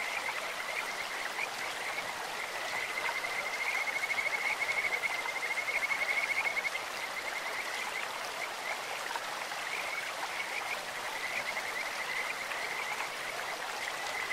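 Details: Kajika frog trilling beside a clear stream, the beautiful voice like a bird or insect; a long pulsed high note peaks between four and seven seconds, fainter trills echo later, all against continuous water rush.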